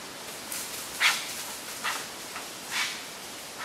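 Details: Wild, curious Japanese serow on a trail beside a mountain stream in Japan, mid-September 2012, trading harsh snorts with a person as a hostile greeting or intimidation; short, breathy, hissing bursts, about four within four seconds.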